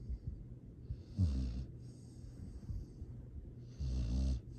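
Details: Astrid, a sleeping rescue dog fostered by Charming Pet Rescue in Boerne, Texas, recorded December 13, 2022, snores softly: two low, rumbling, buzzy snores about two and a half seconds apart, each followed by a breathy airy exhale.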